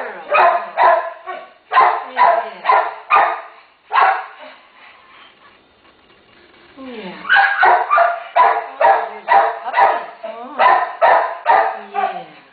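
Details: Terrier mother with her one-day-old puppies, a family in need of rescue, barking in rapid sharp bursts about twice a second. The barking stops for a few seconds, then resumes in a steady run. A soft human voice murmurs in the pause.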